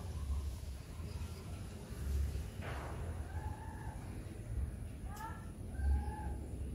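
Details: Friendly domestic cats at play, a small calico crossbreed and two older siblings; a few short arched meows, one near the middle and two more close together toward the end, over a steady low rumbling hum.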